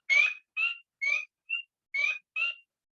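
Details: Spring peeper recording evoking March nights at the start of spring, a sleigh bell call heralding the changing seasons: six clear, high, slightly rising peeps spaced about half a second apart, with no other sounds.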